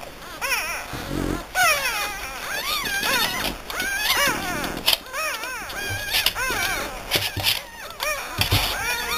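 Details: French Bulldog puppies in Hungary whimpering, with several high, arched whines rising and falling in quick overlapping succession, some short and some drawn out, and brief pauses between bursts.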